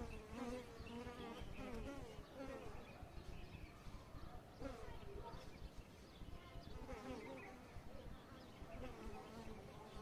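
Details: Continuous hum of Asian honey bees (Apis cerana), Kashmir, new season, 10 February 2022. Overlapping buzzing with slowly shifting pitch, over a rough, noisy background.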